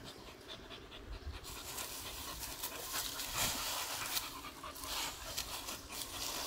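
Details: Beagle on a morning walk, stopping at grass in a garden: quick, breathy panting at roughly three puffs per second, uneven in rhythm, over a steady outdoor hiss.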